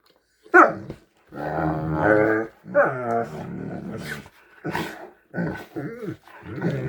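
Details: Two Great Danes make deep, strange groaning and rumbling "hippo" noises in a series of drawn-out bursts before turning their attention to the person filming.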